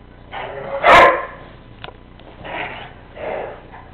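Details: Chico, a Weimaraner, and Bruce, a Mastiff, two pet dogs at play; one loud sharp bark followed by softer grumbling yips and a faint click, low background hum throughout.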